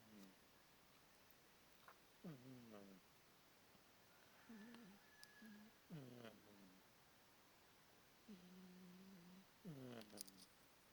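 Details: Bonderez the pet cat snoring in slow rhythm, roughly one breath every three to four seconds; each snore is a low hum that slides down, then holds steady. A faint high whistle drifts in briefly.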